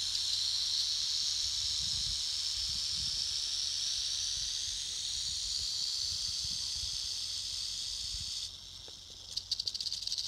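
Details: Prairie rattlesnakes at a huge den in Colorado holding hundreds of snakes, rattling defensively because they fear the person filming. A steady, dry, high hiss-like buzz runs unbroken for about eight seconds, then stops abruptly, leaving a few faint clicks.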